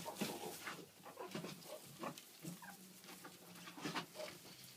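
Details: An aggressive alpha female pet meerkat gives quick squeaky chirps and harsh rasping bursts as she leaps to attack her owner, who shouts "no" to make her submit.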